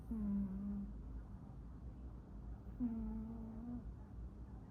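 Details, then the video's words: Pet cat snoring indoors in a small room: a low, steady nasal tone with faint overtones sounds for under a second, then returns about three seconds later, matching a slow breathing rhythm over a soft background hum. "Listen my cat snoring"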